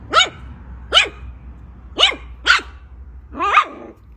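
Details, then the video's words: Five bright, sharp poodle barks, roughly one every half second to second, the last one rougher and more drawn out, over a low background rumble. "Poodle Barking Sounds"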